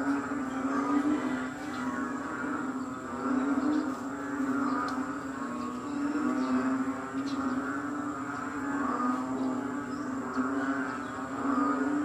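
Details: A dense, loud chorus of frogs in Kadaruhan at 6 am on 22 May 2022, during rain and wet weather, forms a steady droning hum that swells and fades every few seconds.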